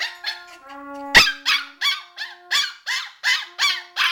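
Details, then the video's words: A Shiba Inu 'sings' along with trumpet practice, giving a rapid run of rising, yodelling yips after a long, steady trumpet note. "Winston and Krista the Shiba Inus - Making Noise"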